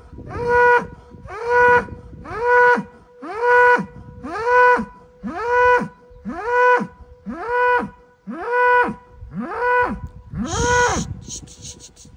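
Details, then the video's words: Angry Angus bull on a farm asserting dominance, bellowing ten times at a steady rhythm of about one call per second, each a loud harmonic moan that falls in pitch; brief clatter near the end, people talking in Turkish. "Kızgın Boğa !! Big Angry ANGUS BULL Letting Everyone Know He is the DADDY! He is The BOSS"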